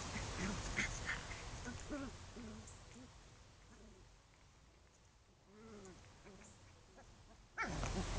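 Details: Chow Chow puppies playing together, giving short arched whining grunts and soft yelps in scattered bursts, with a clearer run of rising-falling whimpers near the end, over steady low background hiss and a sudden loud noise at the close.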